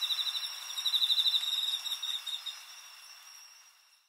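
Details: Crickets recorded on 20 August 2011 sing in rapid, high, metallic pulses over a steady background trill from other crickets.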